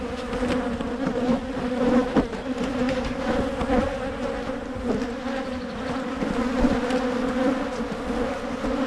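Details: Steady drone of many honey bees at hives being divided in Michigan to keep them from swarming; a low, unbroken buzz with a clear overtone, with occasional soft knocks.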